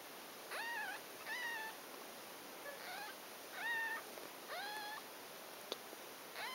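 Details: Six-day-old Ragdoll kittens of a litter born 11 July 2012 at a cattery near Poitiers, France, at nursing time, giving thin, high mews with an arched then falling pitch, each about half a second long, six calls spaced roughly a second apart in a quiet room.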